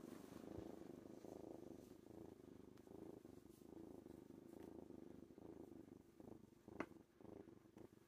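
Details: Kitten named Worm purring in an owner's lap, a foster kitten: a steady low rumbling purr with soft pulsing rhythm throughout, a brief sharp click near the end.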